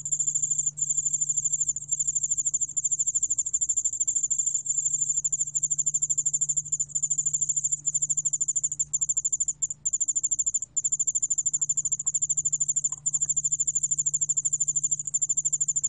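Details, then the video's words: Continuous piercing trill of the Korean cricket yeoul-allak-bangul-beolle, 2020 recording: high-pitched pulses in quick succession with a few short gaps, a faint low hum throughout. "여울알락방울벌레, 여러번 듣기, 곤충소리"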